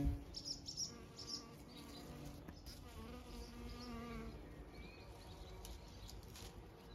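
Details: Many kinds of bees pollinating bluebells, privet and cotoneaster on a farm in County Kilkenny, Ireland, buzz steadily in a low droning hum that shifts in pitch as they come and go.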